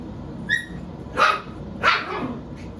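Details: Seven-week-old puppies from Phoebe's litter give three short, high, tonal yips spaced about half a second apart over a low background rumble.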